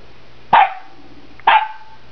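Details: Young Saint Bernard cross Newfoundland dog at play with guinea pigs, giving two short, sharp barks about a second apart, each with a bright harmonic tail, over a quiet room hum.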